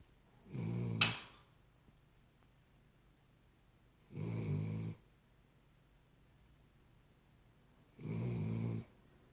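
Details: A Cavalier King Charles Spaniel asleep, snoring in steady rounds: three raspy, breathy snores roughly every four seconds. A sharp click sounds during the first snore.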